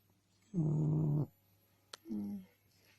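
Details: Sleeping frog with a big mouth and body, described as snoring: two low, droning, buzzy groans, the first steady for under a second, then a sharp click and a shorter, slightly higher groan, in an otherwise quiet room.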